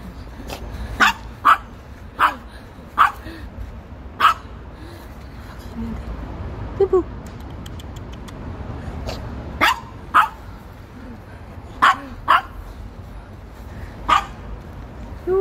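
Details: Maltese dog, ten years old, barking angrily after a game of tag on an early morning walk near home in Seoul; short sharp barks, singly and in quick pairs, about every second, over steady traffic hum.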